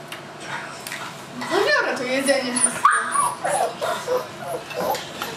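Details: Tibetan Mastiff puppy, seven weeks old, at Himaldog Kennel whimpering in a run of bending, sliding whines, some falling in pitch, while people talk nearby.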